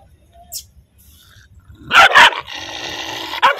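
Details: Angry dog barking and growling: quiet low rumbling background, then two loud harsh barks in quick succession, followed by a sustained rough tonal sound and one more sharp bark.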